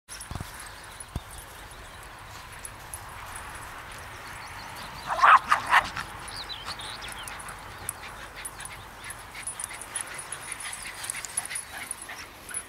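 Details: A Cairn Terrier in Inverurie gives a quick pair of sharp, high barks against quiet background hiss.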